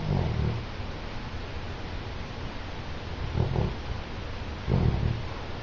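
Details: Yellow Labrador Retriever asleep and snoring: low rumbling snores at the start, near three and a half seconds and near five seconds, over a steady low background hum.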